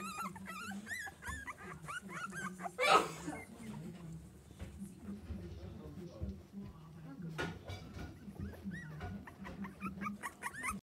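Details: On a Baltic Sea beach, Schapendoes puppies give a rapid series of thin, bending whimpers at the start. A sharp broadband burst follows, then more scattered whines later, over low rumbling background noise and voices.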